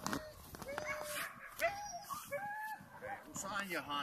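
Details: Siberian huskies at a Lapland husky farm in Rovaniemi, Finland, making a busy mix of short yips, whines and brief howls from several dogs at once, with scattered clattering noise.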